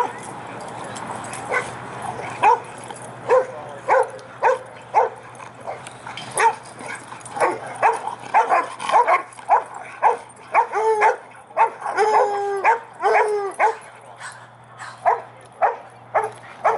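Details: Pack of dogs playing at the Prescott, Arizona dog park: repeated sharp barks and yips from several dogs at irregular intervals, some higher and whining, with people talking in the background.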